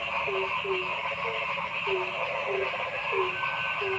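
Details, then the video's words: Frogs calling in a forest: short, low, slightly falling notes repeat roughly every half second, about seven in four seconds, over a dense, steady, buzzing chorus of higher-pitched callers. "Noisy Frog Sound in the Forest"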